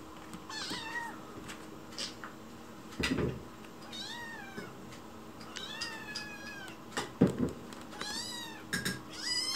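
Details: A white kitten named Chichi, rescued on its own, pleads for food in the kitchen with a sweet voice. Repeated bright meows, several long and gently falling, alternate with dull knocks and clatter.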